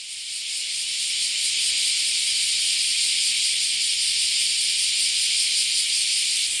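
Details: A massed chorus of many cicadas, the 'semi-shigure' or cicada shower: a dense, unbroken high buzzing hiss with a faint shimmering pulse, swelling slightly in the first seconds and then holding steady throughout.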